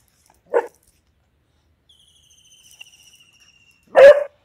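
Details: Veany the Beagle, day two at a dog hostel, barks twice, a short sharp bark followed about three and a half seconds later by a louder, broader one, a thin high whistle tone sounding in between.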